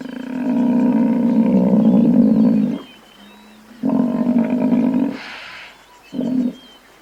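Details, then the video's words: Buffalo gives a long, deep, harmonic bellow, then a second of about one and a half seconds, then a short low grunt. A brief hissy rustle falls between the calls. "Buffalo Sound | How Does Buffalo Sound | Real Buffalo Sound"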